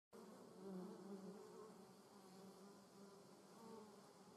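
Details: German wasp flying in a garden; a steady low droning buzz with a strong hum band and overtones, wavering slightly in pitch and loudness throughout.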